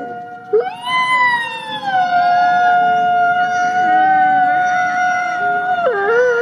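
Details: Wolves in a forest howling to communicate with one another: several long, smooth tones overlap at different pitches, sliding gently up and down and holding steady, with a sharp dip and rise near the end.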